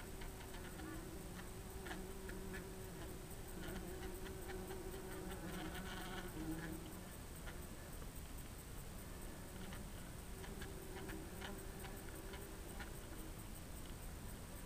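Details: Bumblebees inside their nest drone with a low, steady buzz that swells and fades, with faint clicking.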